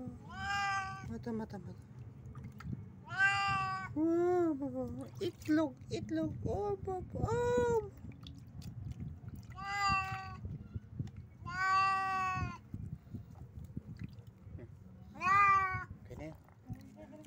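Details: Cat taking a bat, giving a series of drawn-out, wavering meows, roughly six long calls spread across the recording with shorter broken mews between them, over a steady low background rumble indoors.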